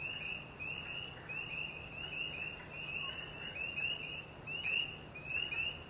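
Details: Spring peeper (Pseudacris crucifer) calling in Canada: high, clear, rising peeps in quick succession, several voices overlapping.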